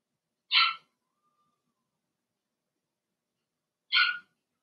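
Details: Young Blenheim Cavalier King Charles Spaniel puppies, part of a litter of six in a home puppy pen during potty training. Two sharp, bright yaps sound roughly three seconds apart against a quiet background.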